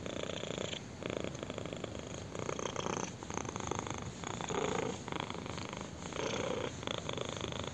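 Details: Purring kitten enjoying a chin scratch: continuous low rumble that swells and fades in breaths roughly every two seconds, with brief dips between exhale and inhale phases.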